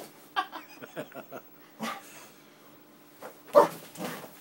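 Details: Springer Spaniel kept as a pet, worked up indoors by an Xbox disc tray moving; a quick run of small whines and yips, then a sharp loud bark near the end, with a person talking.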